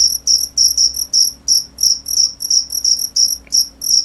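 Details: Repeated shrill chirps from a cricket, clean tonal pulses at a fairly even pace of about three per second, with a soft steady hum far below.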